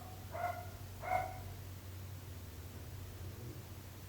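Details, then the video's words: Dog barking, the kind of persistent barking that troubles neighbours: two short, sharp, harmonic barks about half a second apart within the first second and a half, followed by quiet with a steady low hum underneath. "26 minuts gossos lladrant / 26 minutes barking dogs"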